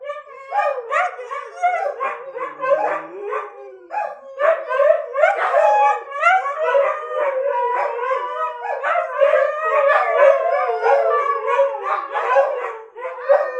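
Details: A group of pet dogs howling in unison, a dense chorus of wavering, overlapping howls with yips and short barks mixed in, voices rising and falling continuously throughout.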